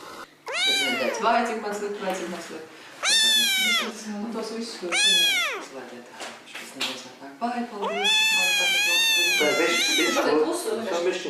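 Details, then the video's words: Cats and kittens meowing loudly: five long, arched, harmonic meows, the last drawn out for about two seconds, with softer mixed sounds, possibly human voices, between them. "Мяуканье котят,кошек, кота мяуканье"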